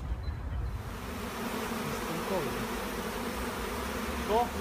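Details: Honey bee swarm at a monastery apiary: a steady low buzzing hum of many bees, with a few faint short whistled chirps and a brief sharper tone near the end over the drone.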